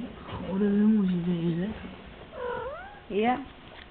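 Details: Kitten meowing indoors: a long drawn-out low meow with a wavering tone, then two shorter rising mews near the end, with people talking softly in Dutch in the background.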